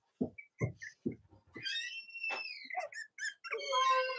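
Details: Cavalier King Charles Spaniel puppies indoors on a chilly Monday morning in the US near Halloween, with their mothers Robin and Myra; a few short clicks and thumps, then a sustained high whine that dips and rises, ending in a harmonic squeal.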